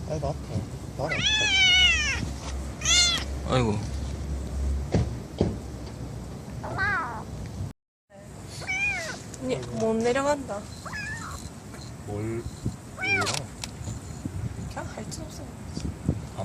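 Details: Stray kittens, a litter of four cared for by a young white mother and a black aunt near a bus terminus: repeated high, wavering mews, some rising and falling, with people speaking throughout and a brief break.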